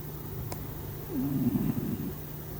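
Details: Domestic cat snoring while asleep, a low rough breathing sound with a brief louder rasping stretch in the middle, over a steady low hum.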